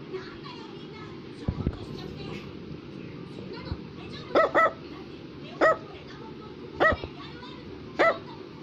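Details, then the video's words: Small Brussels Griffon dog barking with single and double high yaps spaced about a second apart, set against a noisy household background with a few thumps and faint voices. "Brussels Griffon is Barking"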